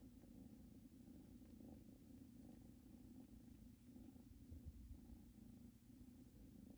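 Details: Two new kittens purring while settled on a blanket that came home with them from their mother's house, a spot that seems to remind them of her; a soft, low, steady rumble with fine rapid pulsing, quiet indoors.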